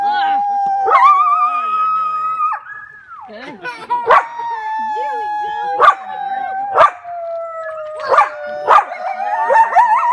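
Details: Coyotes at the Alaska Zoo howl in wavering, overlapping tones broken by sharp yips, answering children's howls.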